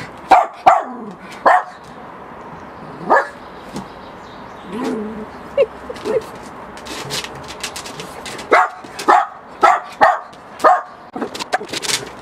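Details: Miniature Pinscher barking at a balloon. Loud barks open the recording, then some whining and softer sounds, and finally a steady series of sharp barks roughly every half second, with light clatter.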